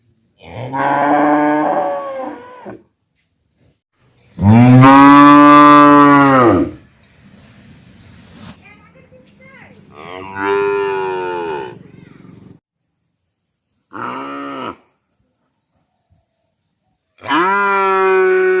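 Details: Calf mooing in a series of loud, drawn-out moos, each a rich harmonic bellow lasting one to two seconds, with short quiet gaps and faint low rumbling between calls.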